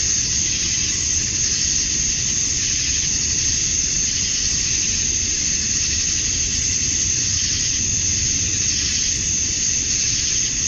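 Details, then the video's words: Cicadas at dusk on a summer night in Georgia, USA, males singing to attract females; a continuous piercing high-pitched whine with faint slow pulses, layered over a low broadband rumble. "Cicadas at Dusk, Summer Night"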